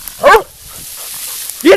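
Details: Black and tan coonhound, a nearly two-year-old female UKC show dog, during a training session: two short, harmonic barks about 1.3 seconds apart, with quiet room background between them.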